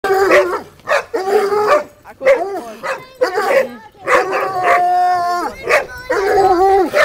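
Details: Coonhounds in training bark at a caught raccoon: rapid, overlapping bays and barks from several dogs, some drawn out into short wavering howls, with loud bursts throughout.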